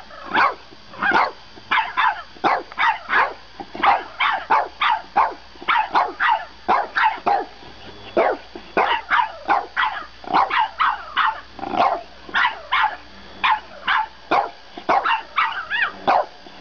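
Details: French Bulldog giving a long run of quick, high yappy barks, two or three per second, kept up steadily with only brief pauses throughout.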